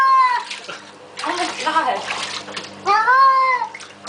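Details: Baxter, a cat getting a flea bath, gives a falling meow, then splashing water and excited human voices, then a second rising-and-falling drawn-out cry.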